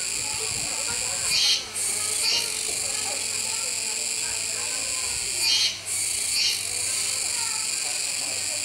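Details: Kuroiwa cicadas at a zoo park in Okinawa, Japan, 16 October 2021: an unbroken sizzling drone punctuated by two louder double surges roughly four seconds apart, over soft distant voices.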